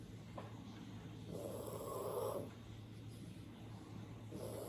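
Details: An old, sleeping chocolate poodle, eyes open, snores with a soft, raspy, drawn-out breath and low rumbling between breaths.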